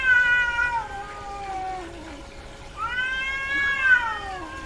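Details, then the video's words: Female domestic cat in heat: a falling meow trails into a low moan, followed after a pause by a long rising and slowly descending cry. "SOM de GATO no cio - Barulho de GATA no cio Gatos miando"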